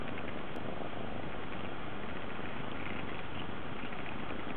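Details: An affectionate Munchkin cat that wants to sit on a lap purrs in a dense, continuous low rumble, steady and close throughout with no breaks.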